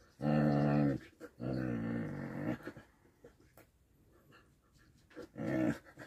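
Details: Whippet family play fighting with love bites, giving low, rough growls in three bursts, a long one, a second of about a second, then a short final growl after a quiet gap, indoors.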